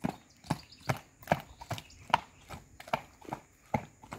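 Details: Horse hooves striking a hard surface in a steady clip-clop, sharp knocks roughly every 0.4 seconds, about ten strikes in a loose walking rhythm, with no other clear sounds.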